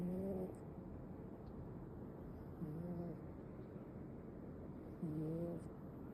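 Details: Sleeping male Ragdoll kitten snoring: three soft, low, humming snores about every two and a half seconds, each a short steady tone with faint overtones, over a constant background hiss.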